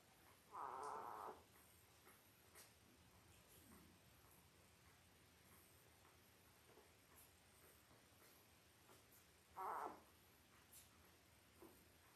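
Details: Eight Labrador Retriever puppies, five days old, born October 15, 2023 to their mother Belle, on a live puppy cam; two short, steady, high-pitched squeals about nine seconds apart over a quiet, faintly rustling room.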